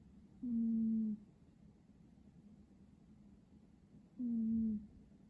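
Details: Two low, whistling snores from a sleeping cat, about four seconds apart, each a level tone sliding slightly downward, with only faint indoor background noise.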